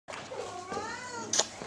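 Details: Tom cat giving a single drawn-out meow that rises then slides down, lasting just over a second, followed by a sharp click; a person speaks Italian to him nearby.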